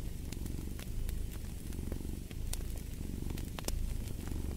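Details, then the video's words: A cat purrs steadily near a fireplace, its low rumble rising and falling with each breath, accompanied by sporadic sharp pops and crackles from the fire. "Fall asleep to the Purring of a Cat & Fireplace"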